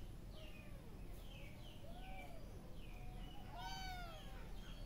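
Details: A kitten at play gives a run of soft, high, arching mews, the last ones louder and more drawn out, over a steady low hum of background noise.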